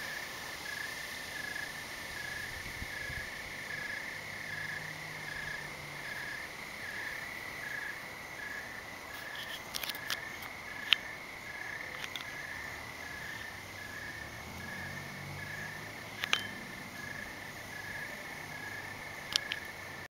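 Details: Night-time crickets under a cloudy evening sky, giving a continuous high trill made of evenly pulsed chirps throughout, with scattered sharp clicks and a faint low rumble in the background.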